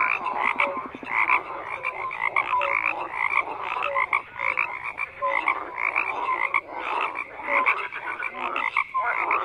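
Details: Frogs croaking en masse, a thick chorus of rapid repeated notes with brief tonal calls recurring steadily through the din.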